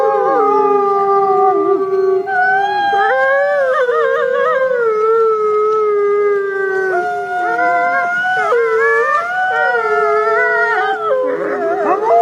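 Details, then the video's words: Wolves howling, caught on a trail camera: a chorus of several sustained, wavering howls overlapping, some voices rising and breaking into shorter yipping glides toward the end. "wolf howling on trail camera"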